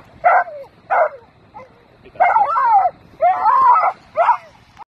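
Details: A dog going nuts at seagulls barks in a rapid, excited series: two short sharp barks, then longer, wavering yelping barks with whiny rising and falling tones.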